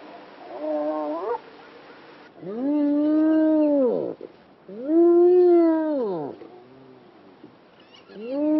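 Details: Spotted hyena in Kruger National Park, South Africa, during a trip where about 25 were seen: loud rising-then-falling whooping calls with rich harmonics, three long whoops about two seconds each, separated by quiet gaps.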